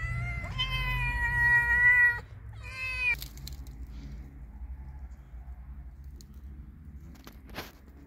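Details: Friendly cat giving one long meow followed by a brief second meow, then quiet with only low background hum and a couple of faint clicks.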